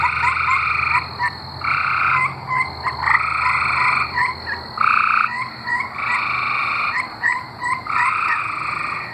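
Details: Singing tree frogs from Arkansas, a chorus of steady, buzzy trills roughly a second long, overlapping and alternating between callers with short gaps, over a soft low background hiss.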